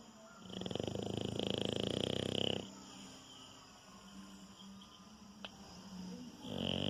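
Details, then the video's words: Anitta the French Bulldog, a gentle dog that always snores in her sleep, gives a harsh two-second rattling snore, then quieter breathing, and a second snore begins near the end; faint humming tones underneath. "Cachorro Bulldog Francês roncando. Ronca enquanto está dormindo."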